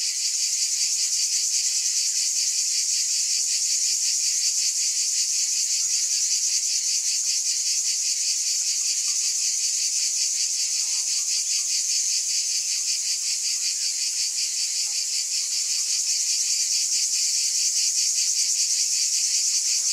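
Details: Cicadas buzzing in a dense, high, steady chorus that shimmers with fast, regular pulsing throughout, with no other clear sounds.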